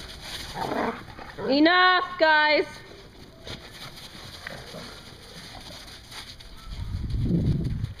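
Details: Dog at a dog daycare in Hooksett, New Hampshire, giving two drawn-out, harmonic whining yelps in close succession, each wavering slightly in pitch, amid background chatter and room noise.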